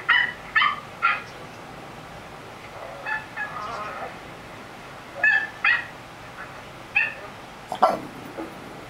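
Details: Lucy, a curious female Pekingese, gives short, high-pitched yips and whiny vocalizations in irregular bursts.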